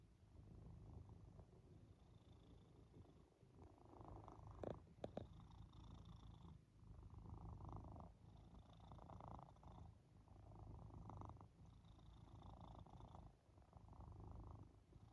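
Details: A pet cat purring while cuddling on a person's back during a nap after the gym; a steady low rumbling purr pulsing in long breaths about every two seconds, with a couple of brief knocks near the middle.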